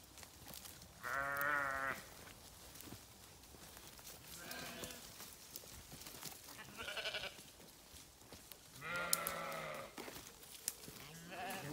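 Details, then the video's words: Sheep bleating several times among various farm scenes: a long harmonic-rich bleat near the start, then shorter, quieter bleats around the middle and a strong wavering bleat near the end, with rustling and clicks between calls. "Sheep Sounds"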